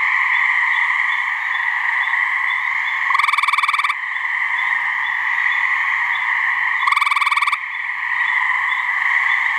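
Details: Hyla versicolor calling to attract mates in a swamp in New Hampshire, where a couple of frogs call: two short, fast-pulsed musical trills roughly four seconds apart, set against an unbroken buzzing chorus behind.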